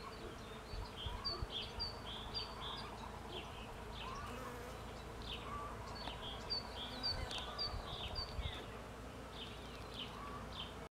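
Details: Bees working a cherry tree for pollen give a steady droning buzz. Dense, repeated bird chirps and twitters sound over the hum the whole time.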